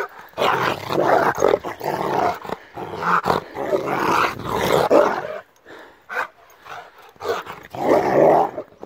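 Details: Rottweiler on the attack, giving loud, harsh barks and growls in broad bursts, one volley after another, with short pauses between them.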